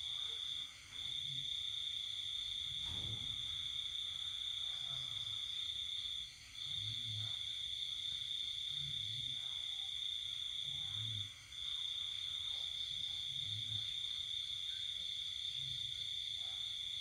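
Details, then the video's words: Night-time cricket song from a countryside house while everyone sleeps, during the epidemic: one unbroken high-pitched ringing trill lasting several seconds, dropping out briefly about every five seconds, with soft low knocks in the background. "Tiếng dế kêu đêm buồn mùa dịch"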